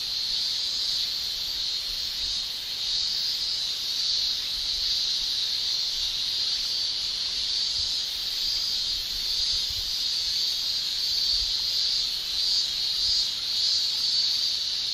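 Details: Japanese summer cicadas, males singing with the tymbal, form an unbroken high-pitched shrill that pulses softly in loudness for fifteen seconds, a thick chorus with no other sounds standing out.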